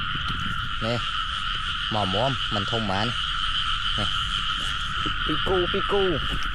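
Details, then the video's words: Frogs in pairs in a rain-soaked rice field, croaking as they are gathered. Scattered groups of low, bending croaks sound around the first, third and sixth seconds, with a constant whining drone and soft splashes behind. "Catching frogs in the rice fields ចាប់កង្កែបពេលមេឃភ្លៀង"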